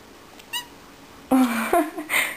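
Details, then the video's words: Domestic cat chatting back to its owner in a small room: a clear, drawn-out meow followed by a short second chirping meow, with a soft voice calling to it. "My Benny cat likes to talk"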